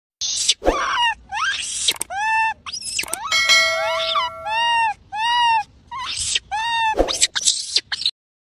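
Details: Monkey. A monkey gives a series of loud, tonal wails, each rising then falling in a short arch, repeated about twice a second. A few sharp, harsh squeals break in between the cries.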